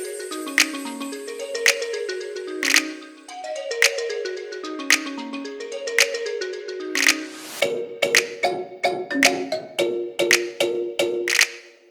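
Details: Bright, tinkling music with plucked, bell-like notes and sharp clicks, and no animal voice.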